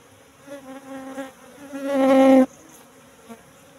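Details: Apis cerana, the Asian honey bee, kept in a hive box after transfer from the forest some three months before, during honey harvesting; a close bee's buzz grows louder and higher over two seconds, then stops abruptly, leaving faint background hum.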